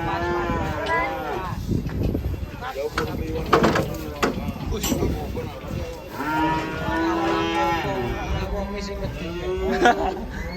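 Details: Big cow raging as it is about to be sold, bellowing in long, low, steady moos, one early and a second, longer one after a pause. Human voices and clattering noises are heard between the calls.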